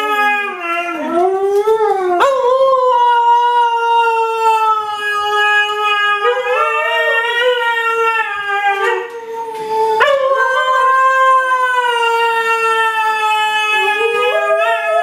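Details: Howling Siberian Husky puppy gives long sustained howls, each opening with a sliding, wavering rise and then holding a steady, smooth tone, with short breaks between phrases and a fresh rising onset toward the end.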